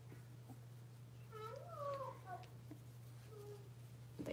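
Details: Six-week-old blenheim Cavalier King Charles Spaniel puppies, a litter of five, kept indoors in a home puppy pen; a high, wavering whine rises and falls in a short burst midway, a brief fainter whimper follows, over a steady low electrical hum.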